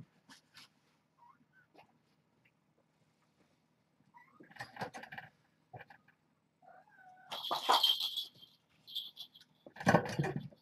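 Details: Hungry kittens of the mother cat Janine at Purrfect Pals, playing rambunctiously in the morning before breakfast, give short scattered meows and a couple of louder, harsher cries. Rustling and scuffling noises from the play are heard between calls.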